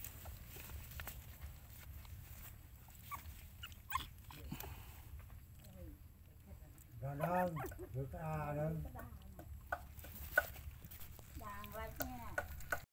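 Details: Dog, a mother looking after her puppies; quiet wavering whines rise and fall in two drawn-out bouts midway, followed by a shorter whimper near the end, over a low steady background hum.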